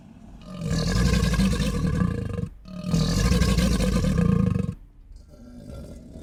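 An alligator gives two deep, rumbling bellows, each about two seconds long, with a fainter growl starting at the end.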